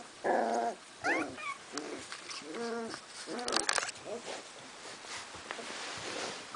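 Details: Squabbling Cardigan Welsh Corgi puppies in Sweden, 22 March 2015, after visitors departed: a few loud harmonic growl-yelps early, then softer grumbling noises fading into quiet background.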